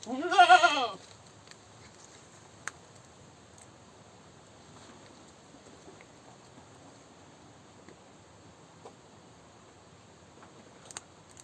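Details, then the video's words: Goat screaming: a single loud, wavering, strained bleat bursts out at the start and lasts under a second, followed by long near-silence with only faint clicks and a soft knock. "Goat Screaming"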